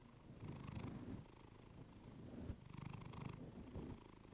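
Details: Purring from Clementine the cat, recorded up close on a fluffy mic: low vibrating rumble in two swelling bursts, each about a second long, separated by a quieter breath.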